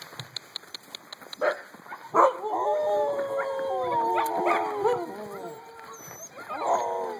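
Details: Eight-week-old puppies make a long wavering howl-whine with layered harmonics that slides and dips over several seconds, then a second rising whine at the end, with a woman talking softly to them nearby.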